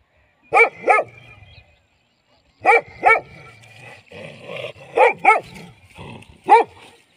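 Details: Dog barking in short paired bursts, two sharp barks close together, then a pause of about two seconds before the next pair, with a faint low rumble between barks.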